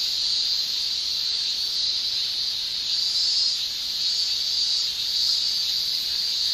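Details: Summer chorus of male cicadas in Japan, tymbal song forming one unbroken piercing high whine that swells and eases slightly over a few seconds.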